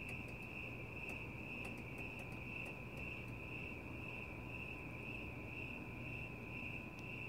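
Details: Crickets chirping outdoors at night, with cats nearby: a steady, high, pulsing trill runs unbroken through the whole stretch over a low background rumble, with a few faint clicks above.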